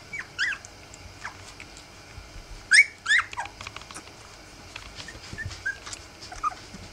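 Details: Three-week-old Rough Collie puppies let out a few sharp, high whimpering squeals in short bursts, with long quieter gaps holding faint squeaks and light background hiss.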